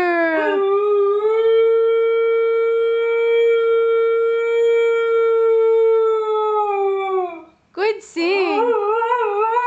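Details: A Siberian Husky howls as it sings with its owner. It holds one steady, level, tonal howl for about seven seconds, then breaks into short, gliding, wavering yowls. The owner's voice cheers it on.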